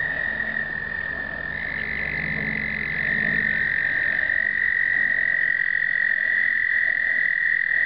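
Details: Explosive breeding of American toads in 2009, recorded on a pocket point-and-shoot camera: overlapping long, high, even trills forming a steady chorus, one trill rising in pitch partway through, over a low droning hum.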